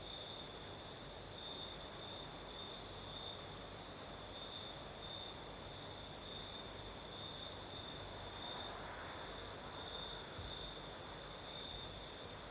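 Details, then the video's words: Crimean night in the south with crickets singing and a night breeze: a persistent high trill, steady throughout, with a faint swell of broader background noise near the ninth second. "Сверчки поют"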